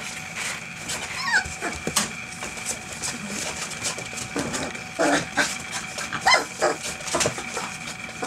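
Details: A litter of eight field-type English Springer Spaniel puppies, 25 days old, playing indoors in a whelping box. Thin, high whimpers and short squeaks rise briefly over constant scrabbling paws, pattering and rustling bedding.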